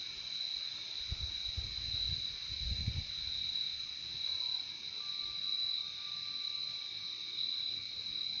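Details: Crickets chirping in a calm nature setting: a steady, high shimmering trill with a second band below it runs throughout, a thin sustained tone enters midway, and soft low thumps appear early on.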